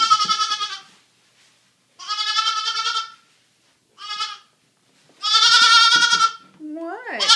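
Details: Two 3-day-old goat kids, rescued from a hoarder and now kept as pets in a house, romping and feeding; four drawn-out, nasal bleats of about a second each with pauses between, a woman's voice at the end.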